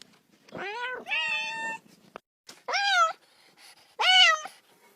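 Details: Little kitten playing with a ball, meowing because it wants to play too: four clear, rising-then-falling meows with rich harmonics, each about half a second long, spaced irregularly in a quiet room.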